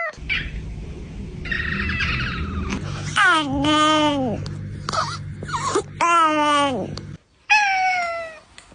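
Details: Cat meows in a cut-together sequence: several drawn-out, wavering calls that rise and then slide downward, separated by abrupt breaks, over a steady low hum.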